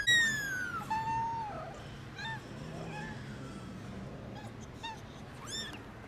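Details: Newborn kittens on their first trip into the garden, calling loudly: a strong descending mew opens, followed by softer, shorter mews spaced about once a second, with low background hum.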